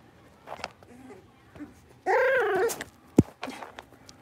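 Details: Litter of five blenheim Cavalier King Charles Spaniel puppies playing together indoors in their pen. A loud, bending yowl holds for about half a second amid soft snuffles and a sharp thump.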